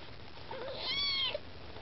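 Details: A Maine Coon kitten among its littermates and mother, trying to get food, gives one clear, bright, drawn-out meow that stays level, then ends with a short click.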